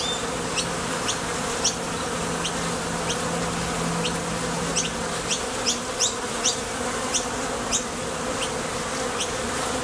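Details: A constant low hum of honey bees flying in and out of a Top Bar Hive entrance on nectar runs. Quick, sharp high chirps repeat over the drone, and a faint steady tone fades out midway.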